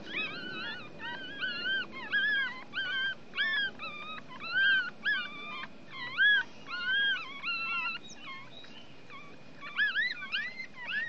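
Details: Newborn Chihuahua puppies, one week old and drying in the sun, cry in bursts of high, bending squeals that rise and dip. The whimpers come in clusters with short gaps between them, over faint background rustle.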